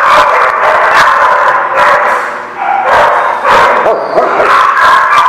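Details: Dense overlapping barking from several dogs at a kennel lot, loud continuous yips and whimpering tones blending into a constant din.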